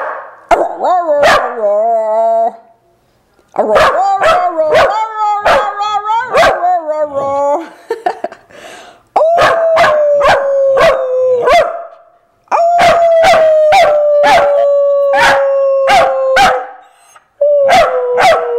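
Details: A corgi, prompted by its owner to sing a Christmas carol, tries to bark Jingle Bells in drawn-out, wavering howls and yelps, with sharp rhythmic taps behind it.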